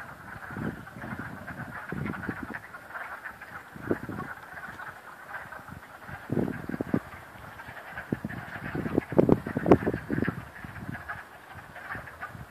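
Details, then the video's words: Frogs at Cranberry Lake, a background chorus of trilling croaks with nearer, deeper rasping croaks in irregular bursts every second or two. "Frogs croaking at Cranberry Lake"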